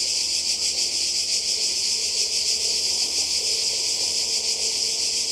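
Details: Cicadas by the sea in Croatia, summer 2020, producing a harsh high continuous buzz with slow wavering pulses, a faint low hum underneath.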